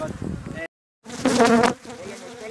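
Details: Bees buzzing during venom collection at Thessaloniki, Greece, on 13 October 2017; a low droning hum with strong layered tones swells for about half a second after a brief silent gap, then fades back to a softer background drone.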